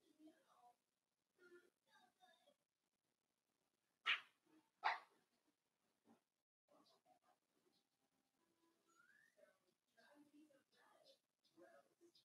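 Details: Five blenheim Cavalier King Charles Spaniel puppies, born New Year's, play with their mother Paris in an indoor puppy pen. Two sharp, loud barks stand out near the middle, surrounded by softer yips, scuffling and a human voice.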